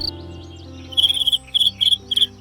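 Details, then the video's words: Cricket stridulation made with the front wings; after a quiet first second come a run of short, shrill, high chirps in quick clusters, with gentle music playing underneath. "uniknya setiap spesies jangkrik memiliki pola suara yang berbeda"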